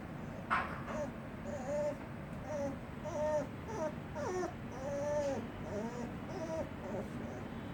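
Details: Little puppy making weird moaning noises indoors: a run of short, arched, whining moans, each rising then falling, repeated roughly every half second to second, over a constant low background hum.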